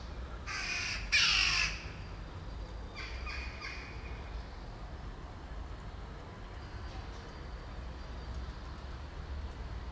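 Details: Hungry feral baby kittens, very wild and left without their mother, who hides away: two loud, high, harmonic cries in the first two seconds, a fainter pair near three seconds, then steady outdoor background hiss.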